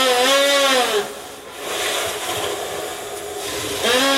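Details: A captive Asian elephant at a zoo blows air into a small gap, making a high, reedy whistle with breathy hissing between.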